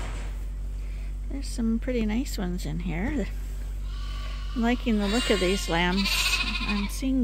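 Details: Lambs at Ewetopia Farms drinking from a hand-made bottle holder as a top-up to their mothers' milk: bursts of short, wavering bleats come in two clusters, separated by a quieter stretch, with a continuous low hum throughout.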